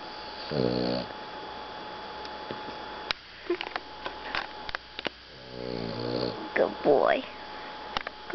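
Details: Rocket, a Boston Terrier, asleep after play in hot sunshine, lets out two separate rattling, pulsed snores several seconds apart, with soft human talk and small clicks in between.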